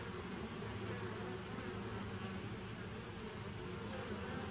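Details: Short stretch of a dense bee hum dated 27 September 2018, a rumbling, unbroken low drone with a grainy upper hiss and no pauses.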